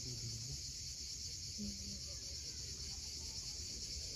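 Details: High, unbroken cicada drone at sunset on the steep shore of Cape Fiolent, Crimea, with deep wave rumble and a couple of short low tones beneath.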